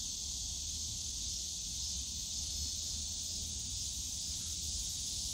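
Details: Somewhat quieter cicada drone from the bamboo grove of Yongsan Family Park on a summer day, a constant high buzz with no breaks, plus a muffled low background hum of the park.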